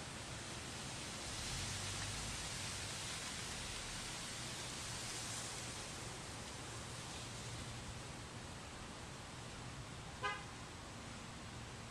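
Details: Steady broadband outdoor noise like wind or rain fills the whole stretch, with one brief faint click near the end and no clear animal voice.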